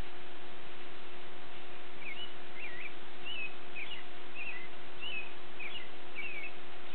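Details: Border Collie puppies from the Nell x Skeet litter giving thin, squeaky wavering whines, about eight in quick succession after a quiet first two seconds, over steady hiss and a constant low electrical hum.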